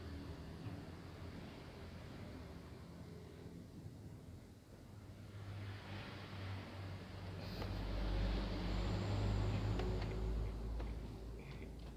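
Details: Low rumbling traffic and engine noise swells toward the end, with no audible animal calls.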